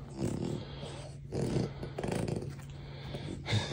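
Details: French Bulldogs settling down for bed under a blanket at night: low rumbling growls with snorting bursts around the start, middle and end, over a steady low droning hum.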